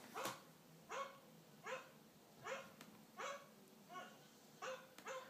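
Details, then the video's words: Puppy reacting to a dog on TV with a run of seven sharp, high yapping barks, one roughly every 0.7 seconds, fairly even in loudness over a faint background hum. "Puppy barking at dog on Tv"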